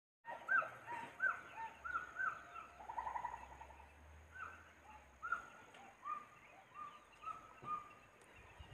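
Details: Monkey crying: several overlapping plaintive, whistled calls, some rising and some falling, come in irregular bursts of roughly one or two per second, with a faint low hum underneath.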